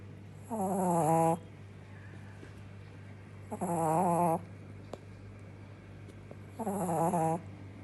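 A Shih Tzu puppy snores in slow, rasping breaths about every three seconds.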